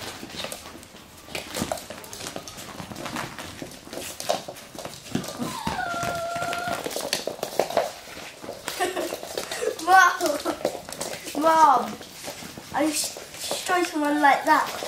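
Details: Russian Toy puppies at play, giving thin, high whining yelps in short wavering bursts during the second half, with people talking, a burst of clapping and background music.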